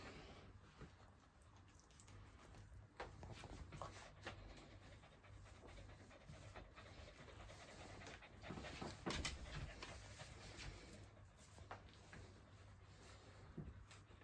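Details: Boston Terrier panting softly in quick, breathy puffs, about two per second with uneven spacing, some louder bursts near the middle; a steady low hum and a constant thin high whine run underneath throughout.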